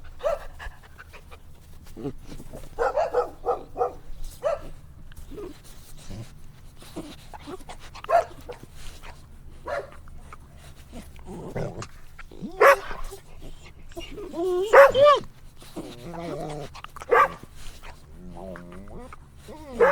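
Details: Playful puppies outdoors in nature give scattered squeaky whines and short yelps, sparse at first, then several wavering, rising whimpers clustered near the end over a low background hum.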